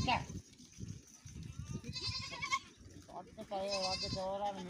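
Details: Goat by a canal that its herd crossed, with a kid falling in; a short shaky bleat midway, then a longer vibrating bleat to the end, with people talking underneath.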